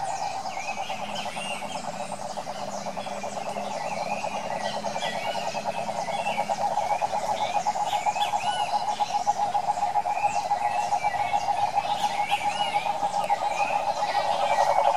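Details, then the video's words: Wild cane toads in the Brazilian Pantanal hinterland, a dense chorus of rapid pulsed trills held as a steady mid-pitched drone that grows louder, with many chirping and whistling birds above. "SAPOS CANTORES selvagens pantaneiros"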